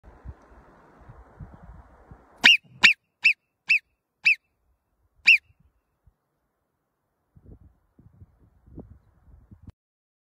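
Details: Mountain marmots give a run of six sharp, piercing alarm whistles, each short and shrill, warning of danger.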